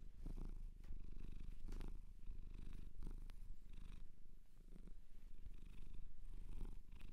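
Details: A shelter cat adopted in Japan purrs up close indoors, a steady low rumbling throb pulsing continuously with soft swells roughly every second and a faint rustle of handling.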